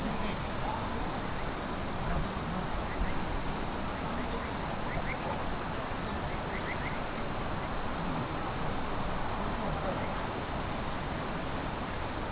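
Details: Many crickets trilling together during the day, forming a continuous high shrill hum that holds level throughout, with faint scattered chirps beneath.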